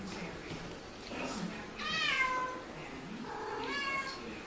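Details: Two Siamese cats trade long, drawn-out meows, each rising and then falling in a harmonic-rich wail.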